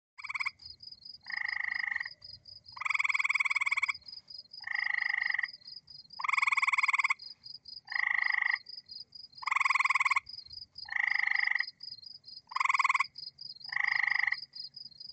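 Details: North American gray treefrogs give short musical trills, one after another, over a steady high insect buzz.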